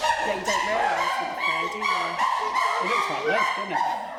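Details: Zoo chimpanzees, including a hairless male, give a run of excited, whimpering hoots that rise and fall in quick succession as the group starts hooting around feeding time.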